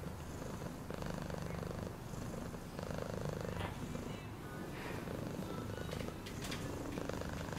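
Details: Steady low purring of a domestic cat, a soft continuous rumble with faint movement noises and brief higher tones.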